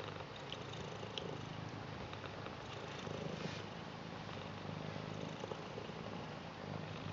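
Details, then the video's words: Purring from Garfield, a British Shorthair, greeting and loving its grandad: a deep, unbroken rhythmic rumble lasting the whole stretch, with a few faint tapping sounds. "Garfield British Shorthair Cat Purr Blue Welcome And Loves Their Grandad"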